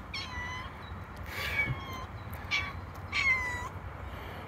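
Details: Feral domestic cat meowing near a mother cat and her playing kittens: four drawn-out, harmonic meows, each about half a second, at roughly one-second spacing, over low steady background noise.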